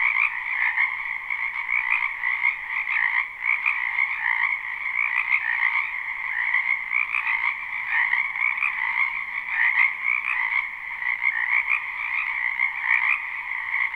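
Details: Frogs in a wetland behind a home in spring keep up a relentless croaking chorus, live and unlooped; layered trills create a constant buzzing hum with faint pulses, and a low soft tone briefly underneath.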